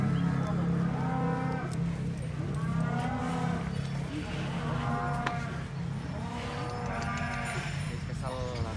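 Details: Raging cattle at a cattle contest in Banyuwangi, Indonesia: several overlapping moos, some rising and falling, over a steady low hum and crowd noise.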